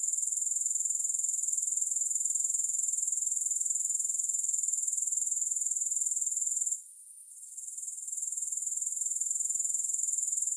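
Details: Continuous high-pitched grasshopper trill, fine and rapidly pulsed, holding steady for nearly seven seconds before a sudden half-second silence, after which the buzzing gradually returns to its earlier loudness.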